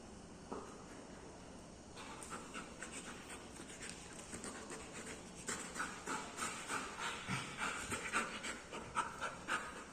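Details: A dog pants in quick rhythmic breaths, about three to four per second, soft at first and growing louder and more regular through the second half, over a steady faint hiss.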